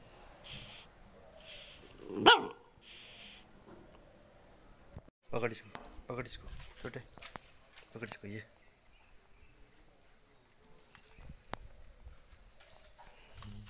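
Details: Dogs in a fight: one loud, harsh bark bursts out early, followed by scattered shorter noises. People talk in Russian throughout, and steady high whining tones come and go in the background.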